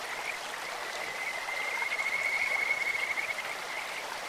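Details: Kajika frog calling over a clear stream, a bright, bird-like voice: rapid pulsed high trill rising into a sustained run of notes about a second and a half long, set against constant flowing water.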